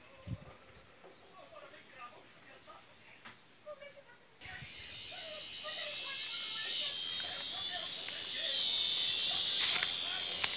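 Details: Cicadas in an aroeira tree. After four quiet seconds of light chirps, a harsh high buzz breaks in suddenly, then grows louder and more intense until the end.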